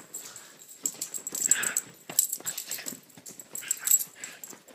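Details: Two small dogs, a Chiweenie and a Rat Terrier/Chihuahua mix, playing indoors; breathy wheezing growls and snorts come in quick bursts with rustling movement.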